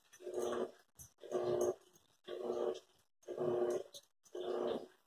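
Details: Airedale or Lakeland terrier giving a rough, rumbling growl, five bursts each lasting about half a second with brief silent gaps, fairly regular, close and indoors.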